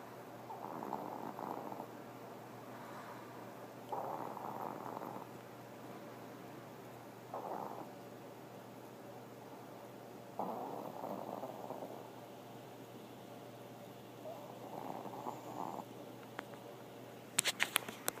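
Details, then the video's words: Pomeranian dog snoring while half asleep, peeping with one eye open; soft breathy snores roughly every three seconds, each swelling briefly then fading, with a sharp click near the end. "Pomeranian Snoring"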